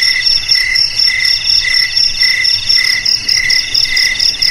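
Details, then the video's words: Crickets trilling together: bright, buzzy pulse trains repeat about twice a second in two high layers, with gentle swells in volume and a quiet background. "Suara JANGKRIK"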